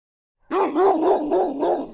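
A mastiff gives a run of deep, harmonic barks that blur into one another with a rising-falling lilt.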